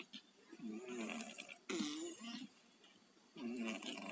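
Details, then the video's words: Pet cats Tayen and Lilu, both down with a cold, snoring in their sleep: raspy, congested breaths with a wheezy tonal rattle, heard as three bursts spaced roughly one and a half seconds apart, indoors and otherwise quiet. "KUCING PILEK, TIDURNYA NGOROK"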